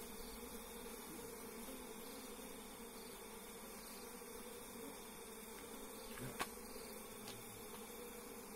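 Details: Wild forest honey bees buzzing as their hive is harvested by bare hands; a steady, low droning hum holds throughout, with a faint click near the end.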